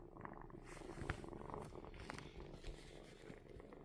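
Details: Kitten purring steadily, a soft low rumbling drone with fine rapid pulses, continuous across the whole stretch, with a few faint clicks and rustles near the microphone.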